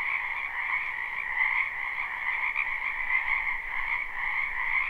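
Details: Many frogs croaking together in a spring wetland, a live recording with no looping: an unbroken, pulsing chorus of mid-pitched and higher croaks, steady in loudness throughout.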